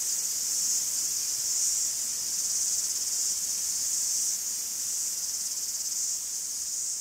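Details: Forest in Greece filled with cicada song: a thick, shimmering buzz held without pause, softly throbbing in intensity, the only sound in the scene.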